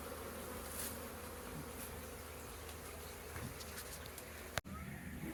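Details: A beehive full of busy honey bees on April 22nd, constant layered buzzing drone broken by a brief sharp knock before the hum resumes.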